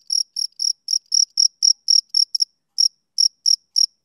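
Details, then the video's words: Summer-evening male cricket giving quick, bright, high-pitched chirps in a fast series, then breaking off briefly before resuming the uneven run. No other noise is audible. "Cricket Chirping Sound Effect"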